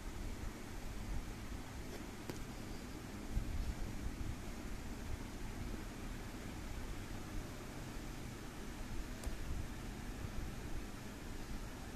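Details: Steady low hum, like a fan or running engine in a small room, with a couple of faint clicks and no animal voice.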